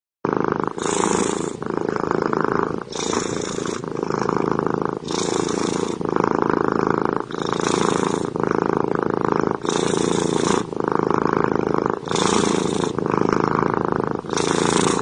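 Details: Cats purring while hugging: a loud, continuous rumbling purr in rhythmic pulses, with brief breathy breaks between each inhale and exhale roughly every second.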